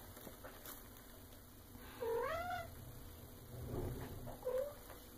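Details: Young female Maine Coon, eight and a half months old, kept at home and being fed; a clear rising-then-falling meow followed by a shorter rising meow, with a man speaking softly nearby and a low hum.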